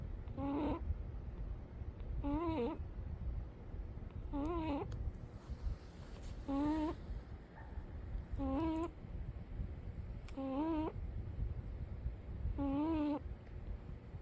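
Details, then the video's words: Sleeping cat Umi snores rhythmically, a thin whistling squeak with stacked harmonics on every breath, roughly every two seconds, seven in a row over a low droning hum. "Umi the cat sleeping and snoring"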